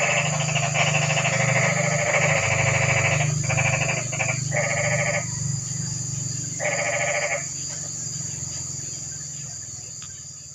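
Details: On a quiet, rainy night, toads give several short, grating pulsed trills in quick succession. A lone trill follows after a pause. A strong low hum and a thin high hiss continue throughout.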